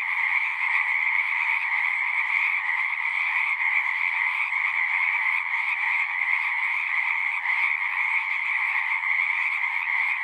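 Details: Chorus of many frogs at a pasture pond, a continuous shimmering trill in two stacked bands, even and unbroken from start to end, recorded with a Zoom recorder.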